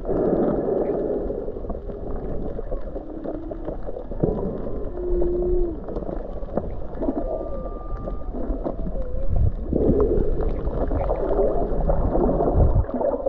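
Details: Whale song heard underwater while snorkeling off Mauna Kea on Hawaii's Big Island in January 2023: drawn-out tonal moans and higher steady whistles over a rushing, bubbling background.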